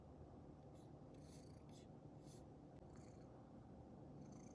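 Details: Domestic cat purring indoors beside someone working from home: a steady low rumbling purr runs throughout, broken by several short rustling, rubbing bursts.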